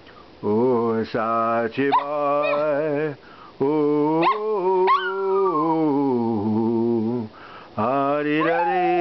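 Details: Sachi, a 12-year-old male Maltese terrier living in Melbourne, Australia, howls along as a man sings the American national anthem and Danny Boy; high wavering dog cries rise and slide above the steady, deeper sung melody, with brief praise spoken afterwards.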